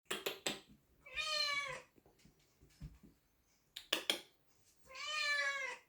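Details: An indoor kitty gives two clear, drawn-out meows, each nearly a second long and rising then falling, about four seconds apart, with a person talking and sharp clattering noises in between.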